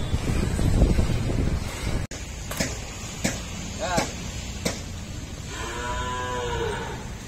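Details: Cattle at an Indian dairy farm kept with buffaloes, during the workers' daily routine: a long, drawn-out lowing moo near the end, a shorter call before it, sharp knocks and clicks, and heavy rumbling noise at the start.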